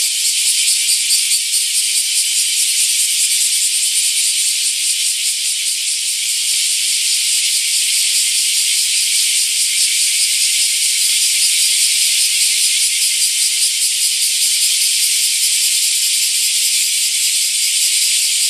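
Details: Great summer chorus of bear cicadas at Daitokuji Park, Nagasaki, home to the prefecture's biggest camphor tree; loud, grating buzz pulsing rapidly and steadily, roughly twice per second, for the full length.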